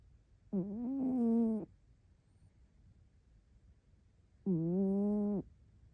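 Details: {'caption': 'Rescued orange-and-white domestic cat asleep curled into a ball, snoring: two voiced, harmonic snores about a second long, roughly four seconds apart, each with a slight rise like a questioning tone, quiet breathing in between.'}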